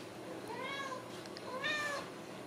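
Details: Ragdoll kittens raised in a home cattery in central Kansas give two short mews, each a thin, high, slightly arched cry about half a second long, in a quiet indoor room.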